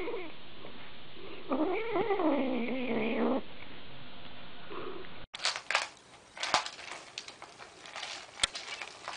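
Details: Domestic cat in a pet compilation making one long, wavering meow lasting about two seconds, then an abrupt cut to a scene of rustling and clattering noises.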